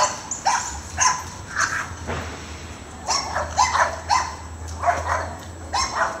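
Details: Dogs in a yard during a squirrel chase, with a neighbouring Sheltie joining in. Short, irregular barks overlap one another amid a steady low hum and faint human voices.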